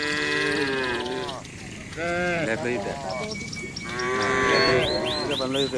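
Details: Beef cattle eating villagers' green grass. A series of moos, some long and level, some short and wavering, overlap across the recording, with faint bird calls and a few rising chirps near the end.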